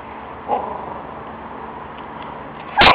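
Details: A dog guarding his bone gives a faint short yelp early on, then a sharp, loud burst of barking right at the end, over a steady low background hum.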